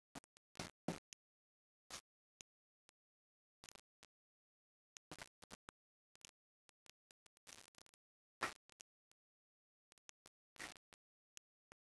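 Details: Scattered short clicks and soft thumps break an otherwise near-silent indoor room, with no animal voice heard.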